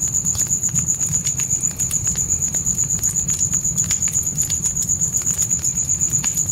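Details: Crickets at night give a continuous high, rapidly pulsed trill, roughly four beats a second, while campfire crackles snap irregularly and a dull low hum sits underneath.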